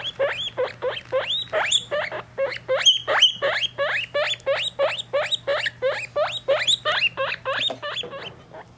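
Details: Guinea pig pups three weeks old together with their mother: a long run of rapid, rising whistled squeaks, nearly three per second, some doubled, over a faint constant hum.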